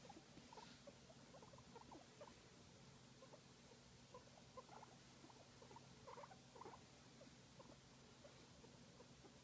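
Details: Guinea pig relaxing during a massage, making a continuous soft rumble of quick low chirps and pulses, with a few slightly stronger squeaky notes midway, over a faint steady hum.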